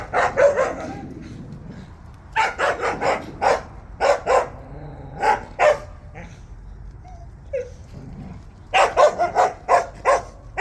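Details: On a walk, Jindo dogs give repeated sharp barks in groups of three or four, separated by brief quiet spells, with a faint human voice in the background.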